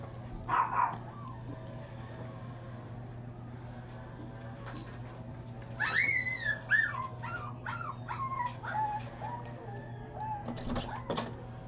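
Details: Booth, a chocolate-liver Shih Tzu stud dog at a kennel house; a short bark, then a run of high wavering whines and whimpers rising and falling, over a constant low hum.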